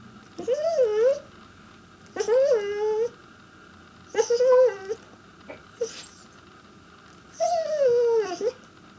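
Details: Chester, a pet Pembroke Welsh Corgi indoors, trying to get his owners' attention: four drawn-out harmonic whines, each about a second long, wavering and bending in pitch, spaced roughly two seconds apart, with a steady hum underneath.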